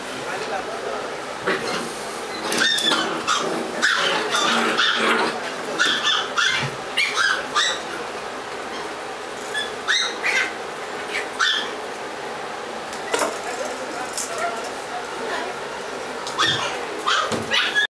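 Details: Doberman Pinscher puppies in Los Angeles, California, giving short high whimpers and squeaky yelps in scattered bursts, with clicks, knocks and human voices throughout.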